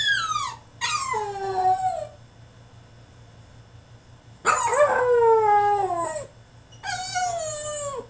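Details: A male French Bulldog throwing a tantrum in his cage, giving long, high, descending whines and howls in four bursts, each sliding downward, separated by short silences, with a steady low hum underneath.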